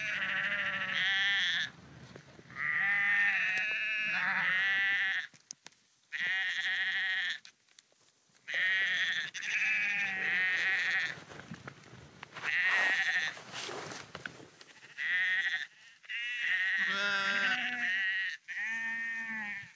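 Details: Several sheep on the Porrenkoogdeich dike near Husum, Nordfriesland, bleat repeatedly while walking; quavering, nasal bleats of one to two seconds come in bursts separated by short silences, some voices overlapping.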